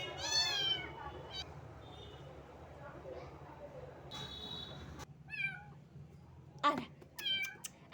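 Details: Little cat, wet from rain and shivering with cold, gives a loud high meow at the start, then scattered short meows and squeaks later amid a low steady background rumble.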